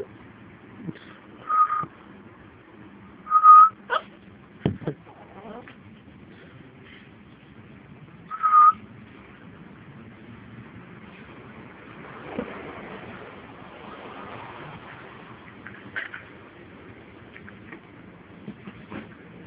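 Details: A female Boston Terrier gives a few brief, high, whistle-like whines, spaced several seconds apart.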